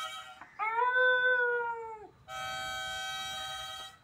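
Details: Dog in Kerala singing along with a mouth organ: one long, wavering howl falling in pitch at its end, followed by a steady sustained harmonica chord.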